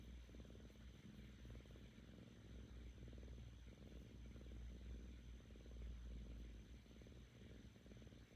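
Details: Female Korean shorthair kitten, seven months old, purring out of happiness beside her owner; a low buzzing rumble with rapid pulses and soft swells at each inhale and exhale, recorded very close.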